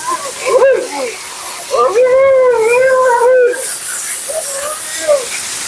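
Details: During her bath and blowout, Mila the Siberian Husky lets out a long, sustained, slightly undulating moan between shorter yelping notes, against a continuous background hiss.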